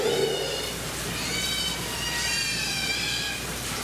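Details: A male and a female Asian short-clawed otter at Toba Aquarium, Mie, Japan, on 1 January 2018, give thin, high squealing calls, drawn out and wavering, over a steady background hum.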